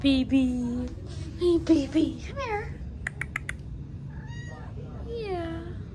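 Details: Domestic cat filmed in August giving a run of short high squeaks and pips, several arching up and falling in pitch, some chirp-like and rapid, mixed with lower murmured tones and faint human voices in a small room.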